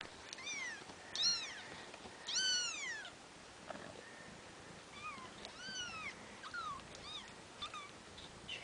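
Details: Bengal kittens just over two weeks old, babies of Ariel and Dream, giving high thin mews with rising-falling arcs, several overlapping, in bursts through the clip; soft background hiss.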